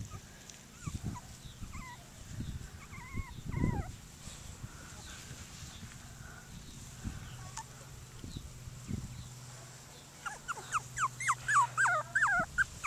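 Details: Seven Cockapoo puppies playing outside at Denning Farms, giving high thin whines and short yelps that bend up and down, with a quick run of squeaky cries near the end over a low steady hum and a woman's voice.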